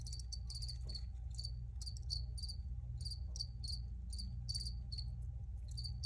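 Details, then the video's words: Cricket chirps come thick and fast, short bright high notes often in pairs or clusters, nearly continuous over a deep steady rumble and a thin hum. "Free Cricket Sounds"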